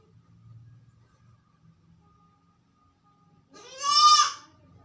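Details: Sick goat kept alone in a room, calling loudly: after about three seconds of near quiet with faint low rumbling, one strong, harmonic, nasal bleat lasting about half a second, rising slightly then falling.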